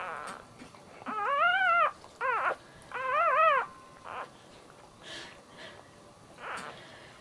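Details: Whining cries from a Dachshund giving birth to puppies, around the third puppy's arrival. Three loud, tonal, wavering squeals are tightly grouped, then softer short whimpers and faint rustles fade out over the remaining seconds.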